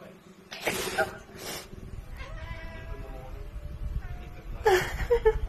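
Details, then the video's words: Pet domestic cat meowing in reply to its owner's sneeze: loud breathy sneeze bursts, then a drawn-out harmonic meow with a gently falling pitch, ending in a few short sharper calls, all indoors. "meows every time I sneeze"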